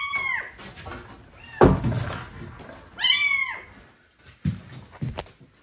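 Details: Trapped kitten crying from within the wall of a vacant house before rescue; two or three clear arching meows separated by a heavy thud and knocking sounds of the wall being worked on.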